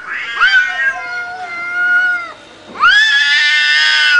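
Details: Angry yowling from two cats in a fight: a long wavering wail that sags downward, a brief pause, then a sharper, louder rising howl held to the end.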